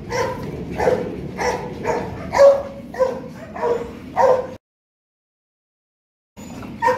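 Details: Young male Rottweiler Loki of Gervi Kennel, during play, gives a series of short, tonal whine-like pulses at an irregular pace, then a break of silence before one more note returns.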